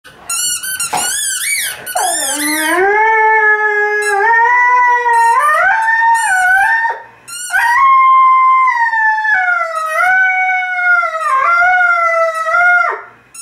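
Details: Male Irish Red and White Setter singing along while squeaking a toy football: long, rich, wavering howls that slide down and then hold steady, with sharp squeaky-toy bursts at the start and between phrases.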